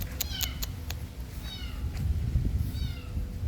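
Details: Cat meowing where a kitten's voice is heard and adult cats respond to calling; two short, high, downward-sliding meows about a second and a half apart, with sharp repeated clicks early on and a low indoor rumble throughout.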